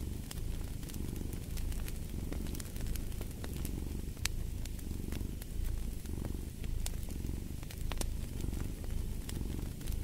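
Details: Deep rumbling purr of a domestic cat, rising and falling with each breath in a regular cycle, set against a cozy fireplace with bright wood crackles and occasional louder snaps.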